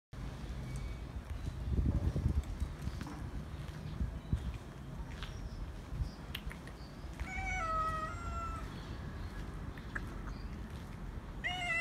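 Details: A male stray cat meows loudly, demanding to be petted. A drawn-out meow starts high and slides downward partway through, and another meow begins right at the end. Between the calls there is a steady low rumbling background noise with scattered clicks.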